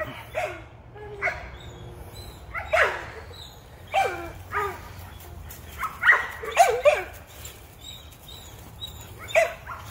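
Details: American Pit Bull Terrier on a rabbit hunt giving a series of excited barks and yelps, spaced roughly every second, some with whining rising tails, over a low outdoor background rumble.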